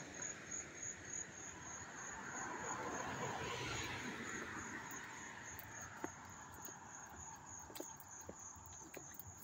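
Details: Crickets chirping up close in Hastings-on-Hudson, New York, on August 13, 2024: a steady high shrill drone with fast pulsing above it, while a passing vehicle swells and fades in the background.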